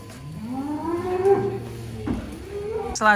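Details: Giant cattle unloaded from a truck and rampaging lets out a long moo that slides upward over two seconds and holds, followed by a brief sharp noise at the end.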